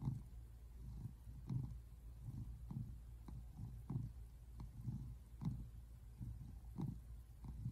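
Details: Relaxed American Shorthair tabby on a couch, recorded February 8, 2024, giving a low, rumbling purr; regular breath-paced surges repeat roughly twice a second over a quiet indoor background.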